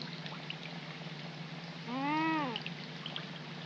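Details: Young coypu at a pond's edge on a rainy March 2020 night gives a single half-second wavering cry that rises and falls in pitch, rich in harmonics, heard over patter of rain.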